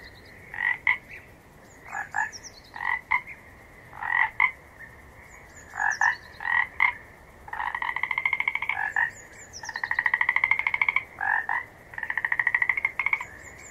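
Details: Frog calls repeating: paired short croaks roughly every second at first, then longer rapid-pulsed trills lasting one to two seconds, with a faint high chirping and a low steady chorus beneath.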